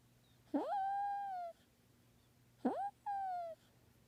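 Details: Kitten, male, vocalising in its sleep: two drawn-out harmonic mews, each holding a steady tone then sliding slightly downward, the first about a second long, the second broken into two parts; a quiet background hum.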